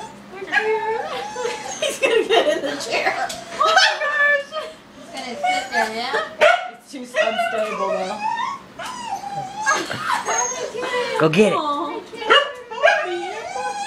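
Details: Pet dog freaking out over a balloon, crying with high wavering whines and yelps, some rising and falling, mixed with people talking, laughing, clapping and music.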